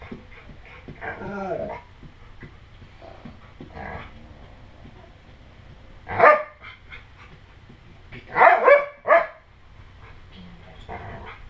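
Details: Dojo, a pit bull-husky mix, protects a newborn from a grandfather's pretend attacks; irregular loud barks at about six seconds and a quick cluster near eight to nine seconds, with a man's voice between.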